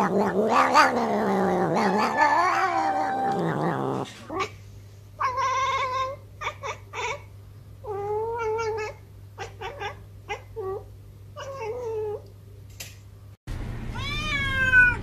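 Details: A cat answering while its owner calls to it: a long wavering yowl, then a series of short chirpy meows in quick bursts over a steady low hum, ending with rising cries.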